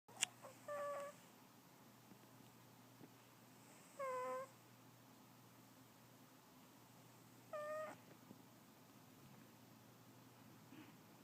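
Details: Archie, a pet cat, snoring while asleep: three brief squeaky, tonal breaths with a faintly whiny edge, spaced roughly three to four seconds apart, over a quiet indoor background with a low steady hum.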